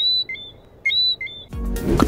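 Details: A nocturnal whistling frog, native to the Netherlands Antilles and singing nightly while waiting for prey, gives short, clear, high whistled notes that step between pitches, repeated twice.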